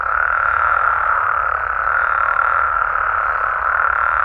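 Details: Mexican frogs and toads at night in their natural habitat, many voices merging into a continuous buzzing trill at mid pitch, softly rising and falling in strength.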